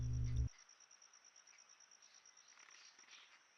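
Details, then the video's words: In April heat of about 43°C at a forest pool in Huai Khayeng Nature Park, Thailand, background cicadas give a steady, high, thin buzzing whine without a break, after a brief low thump at the start. "Those are Cicadas you can hear in the background, not construction work."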